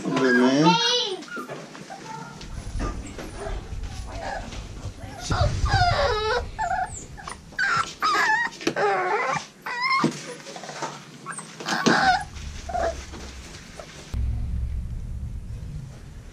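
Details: American Bully puppies at Royal Kennels, from Diesel aka The Big Mac crossed with Mia, whimpering and yipping in high wavering cries with harmonics, mixed with human speech and handling noises.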